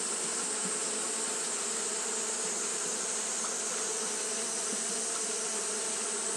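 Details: Japanese honey bees fanning nonstop on a hot day; a steady, even droning hum with low tonal bands, under a bright, constant high hiss that runs the whole time.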